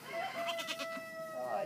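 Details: A two-day-old Nigerian Dwarf goat kid, born on a Friday night, gives one long, steady, high bleat lasting over a second, with a slight wavering lift at the end; people murmur softly nearby.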